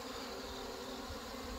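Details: Honey bee colony in the mountains, hit by hornets and merged with bees that failed to mate, busy carrying sugar water; a continuous droning hum holds one low pitch with layered overtones throughout.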